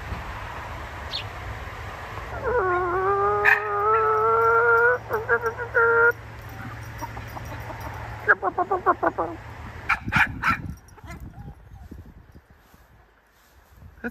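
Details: A dog, Gus, gives a long, drawn-out, howling bark lasting several seconds, then a quick burst of short, choppy yaps. Chickens from a flock of 14 with a rooster, and a person talking, are heard briefly.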